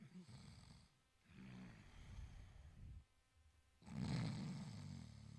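An Italian Greyhound snores in low, rumbling breaths, each lasting about a second.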